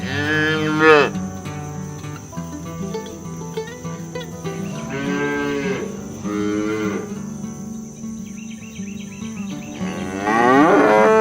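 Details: Cows being herded across village fields toward the barn, calling their companions to come home; three long, deep, harmonic-rich moos at the start, middle and end, over a steady low hum and faint insect buzz.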